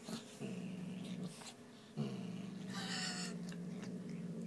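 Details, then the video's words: Six-month-old female kitten growling while guarding a piece of beef indoors; low, steady droning growls in two long stretches separated by a short pause, with a brief breathy hiss-like burst near the three-second mark. "the kitten growling"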